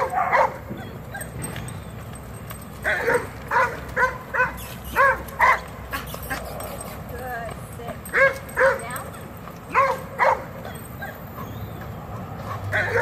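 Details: Reactive dog in training in Georgia barking in short, irregular bursts of sharp yips, some in quick pairs, with a person speaking throughout and steady background hum.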